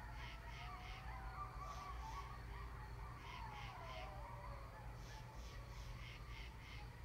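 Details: Coyotes, including grown-up pups, howl together at 10 PM in northern Rhode Island after a police siren: wavering sliding notes mixed with short high yips over a steady low hum.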